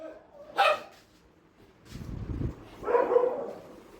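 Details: Dog at a shelter during night feeding, barking: one sharp, bright bark near the start, a low rumbling stretch, then a longer, rougher burst of barking about three seconds in, against a quiet background.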